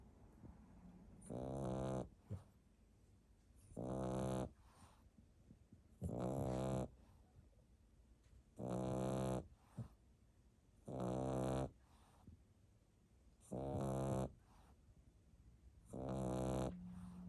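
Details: A French Bulldog puppy, sleeping soundly, snores in loud, rasping bursts roughly every two and a half seconds.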